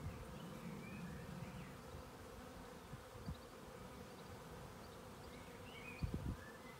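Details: Many western honey bees (Apis mellifera) moving as a swarm from one spot to a lower one give a steady, low droning wing hum in flight, with faint bird chirps above.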